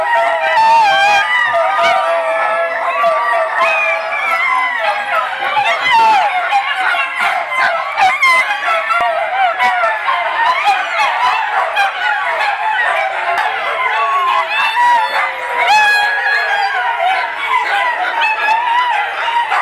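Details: Group of Italian Greyhounds at a rescue playdate, Mantayo Kennels, Denver, Colorado, Sunday 26 January 2014: a long unbroken chorus of layered howls, sliding whines and quick yips, punctuated by brief clattering thumps.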